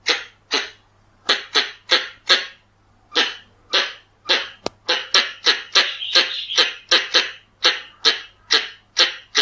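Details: Harsh repeated chucks of a Pallas's squirrel, a lure recording: scattered notes at first, then a denser burst of about a dozen rapid rasps, over a faint constant hum.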